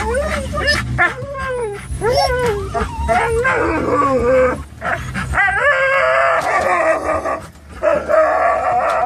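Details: Excited dogs in the back of a Toyota FJ Cruiser heading to PetSmart, a Norwegian Elkhound mix, Labrador mix and Rat Terrier, give long rising-falling howling whines mixed with quick barks, a person speaking and steady engine hum underneath.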